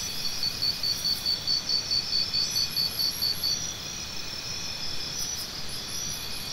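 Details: Rapid piercing cricket pulses, repeated steadily for roughly three seconds, then stopping and leaving only a smooth, high insect hum in the background.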